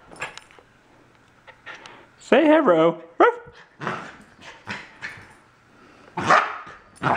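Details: A Corgi puppy, a little male who disliked his new collar, makes a warbling, strained cry followed by a brief second note, with a human voice talking around it.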